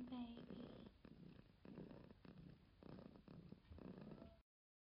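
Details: Short burst of cat purring: a faint tonal squeak at the very start, then four or five rumbling breath pulses of low purr before the sound stops abruptly.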